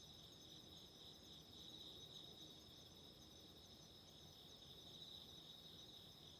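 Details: Autumn insect chorus with a relaxing candle flame: high, steady ringing tones with faint fast pulsing run the whole length, above a rough low crackling noise bed.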